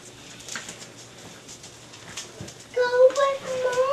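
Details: Jenny's Staffordshire Bull Terrier puppies at five and a half weeks old: near-quiet room sounds, then a thin, wavering whine begins and continues with slight pitch wobbles until the end.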